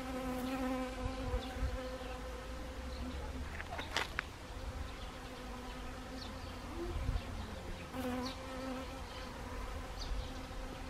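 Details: Honeybees visiting Siberian chrysanthemum flowers in autumn, Gangwon Province, South Korea, 1 October 2020; a steady buzzing hum from several bees, rising and fading as they pass, broken by a few short sharp clicks.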